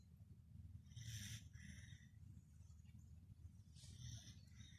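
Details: Pet Pembroke Welsh Corgi asleep and snoring: soft raspy inhalations, two breathy snores roughly three seconds apart with a faint one between, over a steady low rumble.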